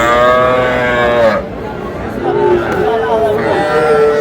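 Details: Young bull and heifer calves, bought as a pair by a Faridpur farmer at a Bangladeshi cattle market on 1 August: one long, steady moo of about a second and a half fading at its end, then market voices and chatter.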